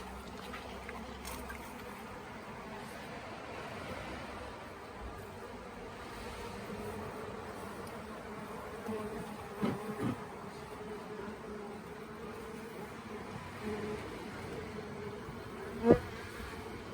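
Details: Honey bees of an indecisive late-season swarm at the Tamarind Tree Hotel, being scooped toward a nuc box while beekeepers look for the queen. A continuous low humming buzz, with a few bumps and one sharp knock near the end.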